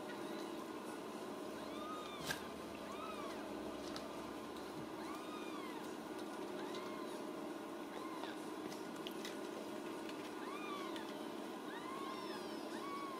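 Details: Ragdoll kittens from a central Kansas home cattery cry at supper, a chorus of high, bending mews repeated every second or so, with a sharp click and a constant background hiss.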